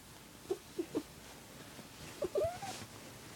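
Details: Squirrel, a male cat, gives a few short chirps, then a longer rising trill near the end, as part of the warbling purr he makes only for one family member.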